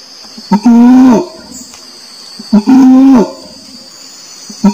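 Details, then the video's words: Orangutan voice: two sustained, moaning tonal calls with rich harmonics, each preceded by a short clipped note, roughly two seconds apart, against a constant high-pitched background hiss. "SUARA ORANG UTAN"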